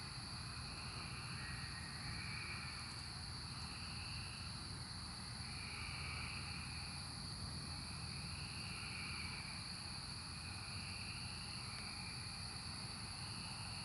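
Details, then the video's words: Cicadas during the 2024 emergence: a dense, continuous high-pitched drone with a steady hiss band, overlaid by buzzy swells that rise and fade about every two to three seconds, over a low rumble. "Cicada Emergence 2024"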